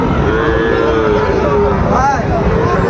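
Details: Sahiwal bull calves for sale at the start of market day in Raniganj, Dinajpur, 22 January: a long low moo sliding gently down, then a short higher arched call, amid talking buyers and background noise.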